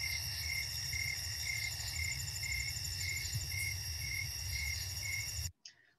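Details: A snowy tree cricket in the Chicago region chirps calmly and regularly at night, about two pulses a second on one pure tone. A faint high hiss and low hum sit underneath.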